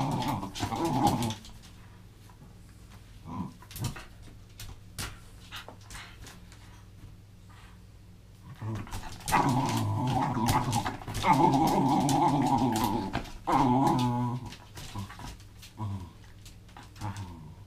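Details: Welsh terrier at rope play, a short growl at the start, then quiet with scattered clicks, before a long stretch of throaty, wavering growling near the end, with soft thumps from the game.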